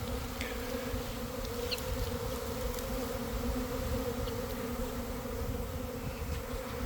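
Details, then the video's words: Swarming honey bees gathering in grass near a garden hive entrance, early afternoon after a week of cold and damp; steady droning buzz with strong hum bands and occasional single bees zipping past closer. "Catching a Swarm in Real Time!"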